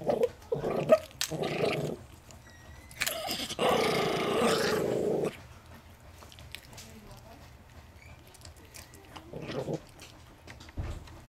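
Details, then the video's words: Chihuahua crossed with Miniature Pinscher, a family pet guarding peanuts inside a home: short growls early, then a steady two-second rumbling growl, fading to quiet rustling and a brief growl near the end. "Deranged peanut eating half breed chihuahua - mini pincher"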